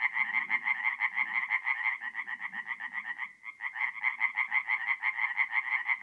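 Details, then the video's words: In a north-east Italian forest pond on an April night, tree frogs keep up a rapid rattling chorus of evenly spaced pulses that briefly pauses midway, with quieter low croaking underneath. "relaxing forest pond by night with singing tree frogs"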